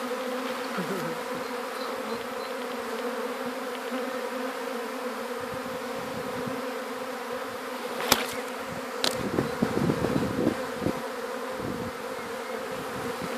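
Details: Swarm of gentle honey bees being caught after landing on a hat, bound for an alternative hive; steady dense hum throughout with a few sharp knocks and brief louder buzzing near the end.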